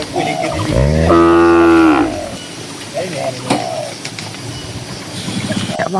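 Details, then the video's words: Tame cattle grazing in a green pasture in calm countryside: one loud, deep, steady moo lasting about a second, followed by quieter rural background sounds. "Suara Moo Moo Sapi Lembu yang Lucu di Tengah Ladang Hijau yang Sejuk"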